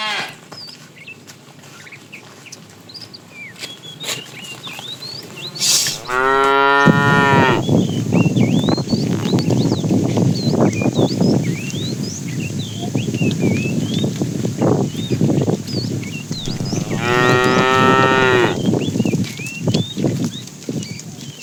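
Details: Fat cow in a tame herd being driven in the afternoon, calling the female: two long, loud, harmonic moos near seconds 7 and 17, over steady rustling background noise with frequent faint high chirps throughout.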